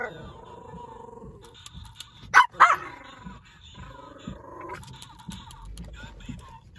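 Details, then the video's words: Indoors, pet dogs react to a talking Donald Trump pen toy with two sharp barks midway, amid the toy's droning electronic voice and soft background speech. "My Dogs Hate The Donald Trump Talking Pen From 7Eleven"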